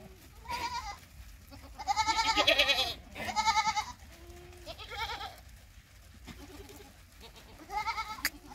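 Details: Sirohi goats on a goat farm in Chenar, Nagaur, Rajasthan, India, bleat in quavering, wavering cries, about five bursts of varying length, with the longest and loudest near the middle and one at the close.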